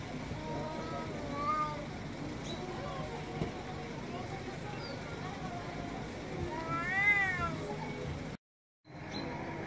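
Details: Male domestic cat on an Istanbul street meowing loudly, a few drawn-out arching wails, the strongest near the end, over steady traffic and urban background noise with voices.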